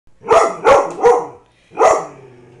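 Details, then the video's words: Pet dog, one of the household's dogs, frightened by a life-size cardboard cutout of a man standing in the home; four sharp barks, three in quick succession then a pause and one more. "My Dog Barking at My Rob Pattinson Cutout"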